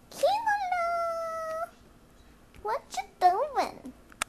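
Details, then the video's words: Male cat acting wildly on catnip, taped indoors just after Christmas; one long, steady, drawn-out yowl of about a second and a half, followed by people talking. "crazy cat with catnip"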